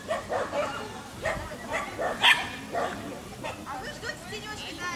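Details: Dachshund associated with a rabbit, giving a string of short, sharp barks at irregular intervals, some louder and higher-pitched, heard at a moderate distance with a faint background hiss.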